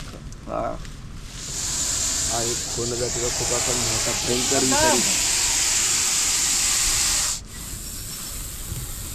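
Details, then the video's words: Captured Russell's viper near a grassy house compound during a rescue. It gives a prolonged breathy hiss of about six seconds, overlapped by a man speaking, with clattering handling noise before it. "सापाचा एवढा भयंकर आवाज ऐकून लोक लांबच राहिली"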